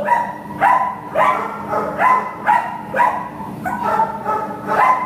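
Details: Shelter American Pit Bull Terrier awaiting adoption, recorded in September 2015, giving a run of sharp, resonant barks at a steady pace, about two a second, over a low constant background hum.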